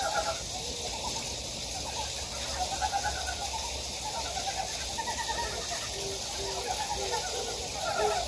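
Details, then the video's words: Frogs calling in a mountain stream valley on Gyejoksan, Daedeok-gu, Daejeon, South Korea: short, repeated croaking notes in loose rhythm, partly overlapping, over a steady hiss of rushing water. "계곡에 자연의 개구리 울음소리"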